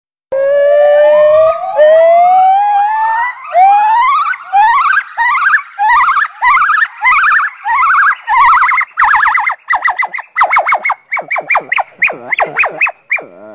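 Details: A black monkey gives long rising whoops that quicken into a rapid series of sharp, climbing hoots, described as barking.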